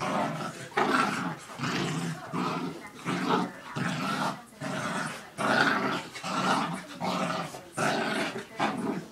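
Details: Two pet dogs, a mini dachshund and a Rhodesian/Aussie mix, playing indoors: rough, throaty growls in bursts roughly every two seconds, with snarling grunts between them and some background talk.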